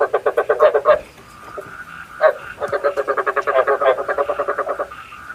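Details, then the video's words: Frog croaking as a lure for night trapping with a bagua trap: long, fast trains of rattling croaks, roughly four per second, broken by a short gap, with a steady faint tone behind. "Tiếng ếch mồi chuẩn 99,99% cho ae bẫy đêm tham khảo"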